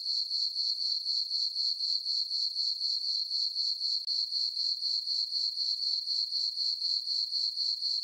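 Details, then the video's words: High, metallic cricket chirping from a moonlit farm meadow on a summer night, pulsing evenly about four times a second, with a single brief gap midway and no other sounds. "Cricket chirping sounds for sleeping"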